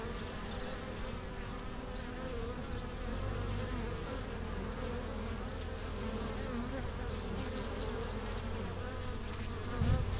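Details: Many honey bees at a beekeeper's hive entrance in spring, April 2015, returning with pollen and nectar; an unbroken, thick humming drone that swells slightly midway and ends with a short knock.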